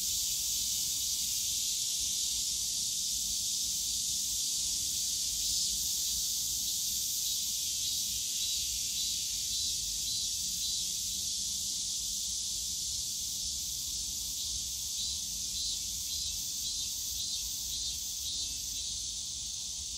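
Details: Cicadas drone on a summer day in the bamboo forest of Yongsan Family Park, a sustained high buzzing wall with gentle rhythmic pulsing midway, easing slightly toward the end, over low park ambience.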